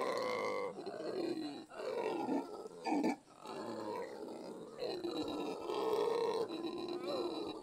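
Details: Monkey calls forming long, harmonic wails that bend up and down in pitch, broken by short gaps, with several voices overlapping into a moaning, rolling chorus.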